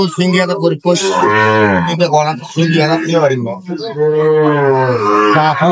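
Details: Sahiwal cattle at Ambari cattle market in Dinajpur on 9 June 2025, as trading begins: loud, drawn-out harmonic moos, one long low bellow followed by a second sustained call, with men's bargaining voices and market chatter around.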